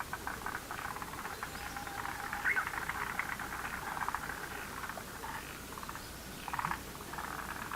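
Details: Frogs in a lotus pond croaking as a chorus, rapid rattling pulses from several callers overlapping and swelling in bursts throughout.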